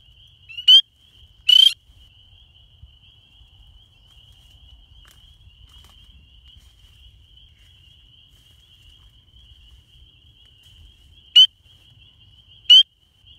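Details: Spring peepers, males calling in numbers for the first time of the year on February 2, 2016, at a farm pond in the South Carolina Upcountry before warm-front rains: a steady high peeping chorus with a few loud close piping notes rising sharply.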